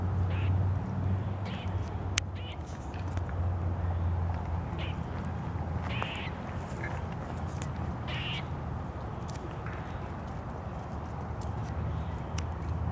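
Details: A grey squirrel, recorded 15 February 2023 and seemingly calling while eating, gives short, raspy, quacking alarm notes over a steady low rumble.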